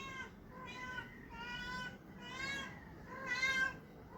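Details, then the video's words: Domestic cat making funny sounds: five rich, nasal meows in quick succession, roughly one every 0.8 seconds, each short and slightly arched in pitch, the last two louder and more strained, recorded indoors with a quiet low hum behind. "Cat making funny sounds"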